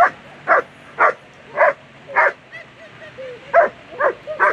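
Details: German Shepherd barking during a world championship agility competition: sharp, loud barks repeated about every half second, nine in all, with brief thin tonal sounds between them and faint background noise.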